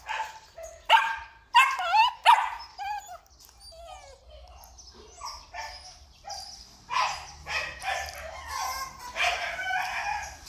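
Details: Male Belgian Malinois at a breeding kennel in Vietnam, giving loud, sharp barks with rising yelps and whines in irregular bursts, with quieter rustling and background noise between.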